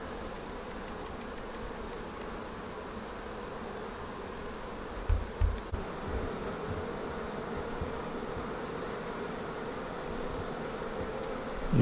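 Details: Honey bees at a Flow Hive during the first honey extraction, with frames drained one at a time. A steady, dense hum runs throughout, broken by a few soft knocks near the middle and a constant high electronic whine.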